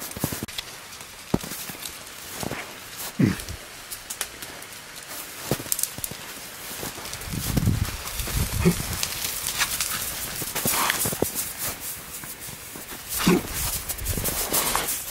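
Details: Wild boars rooting and digging through the soil of a greenhouse; a few short, low grunts break through steady rustling, scraping and crunching of earth, with clearer grunts around the middle and near the end.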